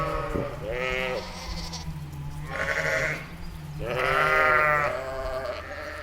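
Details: Ewe and lamb in a meadow, bleating: several wavering, harmonic-rich bleats of about half a second to a second each, one deeper and some higher, separated by short pauses, over a low steady hum.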